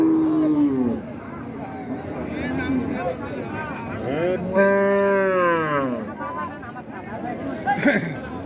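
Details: Cattle at a crowded cattle market in Raniganj, Dinajpur, in 2025. A deep, drawn-out moo with rich stacked harmonics swells midway through, set against steady crowd chatter, voices and background music.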